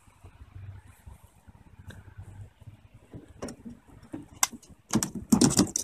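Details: No animal sound; soft rumbling and scattered clicks build into loud clattering thumps near the end.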